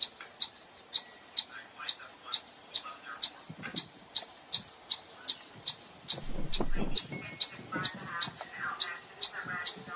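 A chipmunk gives sharp, high chips repeated steadily, a bit more than twice a second.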